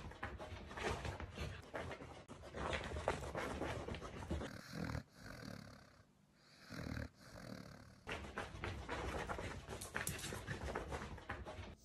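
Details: Maxine, a pet Pembroke Welsh Corgi, making everyday noises: soft, rhythmic breathy panting or snuffling, about two breaths per second, with a quieter pause midway and steady room rustle.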